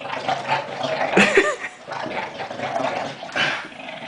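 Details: Darla, a pet dog, playing tug; rough, continuous growling with breathy snorts and a louder burst near the middle, holding steady through the clip.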